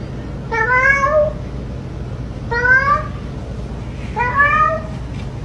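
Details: Domestic cat meowing indoors, three drawn-out rising then falling meows spaced about two seconds apart, each clear and tonal over a low steady hum.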